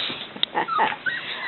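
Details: Indoor dog, one of a litter with its mother nearby, giving a few short, thin whining notes, one brief high whistle-like whimper and soft rustling, with a woman's voice murmuring in the background.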